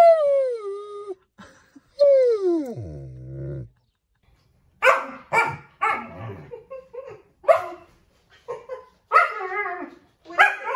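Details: Talkative pet German Shepherd voicing his own unique language: two long whines sliding down into a low groan, then a run of short, rough barks and grumbling yips after a brief pause.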